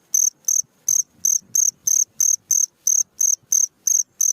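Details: Nocturnal cricket call for songbird training: loud, shrill pulses, close and regular at about three a second, with soft low thumps and rustling underneath.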